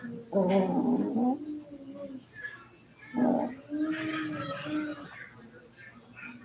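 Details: Cavalier King Charles Spaniel puppies playing inside a house in their home pen, giving two loud, short, harmonic whining yelps about two seconds apart, each under a second long, with quieter murmuring voices and soft household noises between them.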